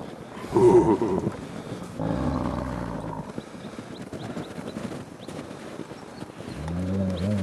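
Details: Ambassador gray wolves at the International Wolf Center on 24 December 2008, excited by fresh snow: low, harmonic growling moans in two drawn-out bursts early on, then a quieter stretch and another rising, whiny vocalization near the end.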